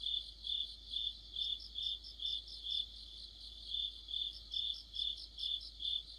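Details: Crickets and fellow insects form an autumn night orchestra by a streetlamp in Korea; a clear high chirp beats about twice a second while a faster buzzy pulsing sits just above it.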